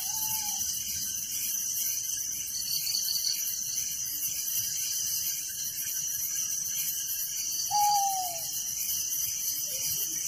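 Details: Crickets at night in a village: a continuous high, finely pulsed chirping chorus, joined at the start and near eight seconds by two brief whistled notes from another animal, the second one sliding downward.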